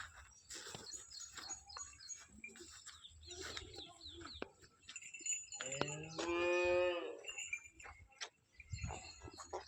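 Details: Freshly calved Holstein Friesian cow at Somthane village, Sinnar taluka, Nashik district, for sale. One short harmonic moo, steady then falling, comes midway, amid a man's Marathi speech and faint farmyard noise.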